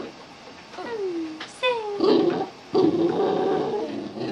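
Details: A Boston Terrier sings on cue for a treat, with drawn-out, falling whines and yowls while a person coaxes it.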